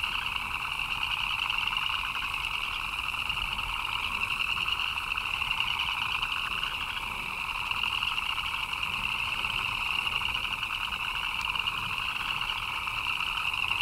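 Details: Chirping frogs heard in rainfall: a continuous, densely packed chorus with a shrill upper trill and a lower pulsing undertone, unchanging and without breaks.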